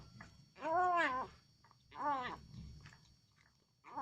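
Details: Hungry domestic cat indoors, vocalizing as it is given food, its meow likened to the word "Alhamdulillah": two drawn-out, arching harmonic meows about a second apart, the first longer, over a quiet low room hum.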